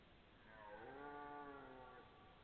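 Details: Red deer belling recorded September 12, 2014, perhaps two stags calling: a single long, mooing roar with stacked harmonics that swells and then fades over about a second and a half, over steady background hiss.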